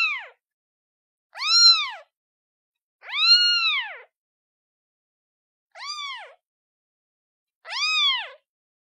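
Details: A cute kitten calling its mother with five clear, arched meows, each rising then falling with rich harmonics, spaced unevenly about one to two seconds apart against a silent background.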